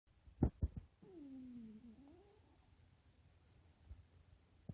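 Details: Waffle, a pet cat, snoring in its sleep at bedtime: one drawn-out, whistly nasal tone that slides gently downward for about a second and a half, preceded by a few sharp clicks in an otherwise quiet room.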